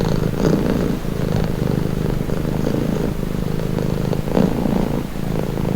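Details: Domestic cat purring steadily in a calming, relaxing recording; a continuous low rumbling drone with soft pulsing texture, swelling slightly with each breath cycle roughly every second.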